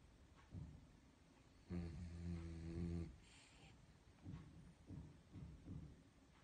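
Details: A calm, comfortable dog snoring softly: faint low breaths, then one longer droning snore of over a second, followed by several short, quiet snorts spaced about half a second apart.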